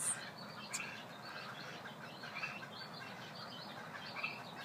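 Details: A dense night chorus of Pacific chorus frogs in Fair Oaks at bedtime: many overlapping raspy croaks blend into a steady wash, with individual calls surfacing now and then.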